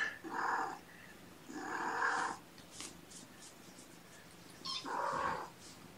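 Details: Indoors on the morning of 2018-06-06, mother cat Gamora calls the babysitter, surrounded by her five kittens born April 14. Three short, bright, mid-pitched meow-like calls are spaced over several seconds, with faint soft rustling between them.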